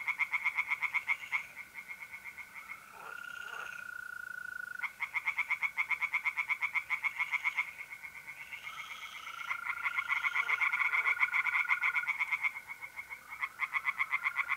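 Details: Tree frogs in a pond in north-east Italy, mid-April at night: loud bursts of rapid, regular croaking pulses broken by short pauses, while mole crickets keep up a continuous high trill.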